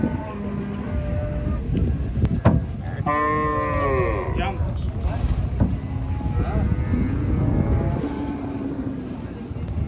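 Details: Cows being unloaded: one loud, rising-then-falling harmonic moo of about a second and a half near the start, then fainter, shorter lowing calls, over heavy low rumbling engine noise and some voices.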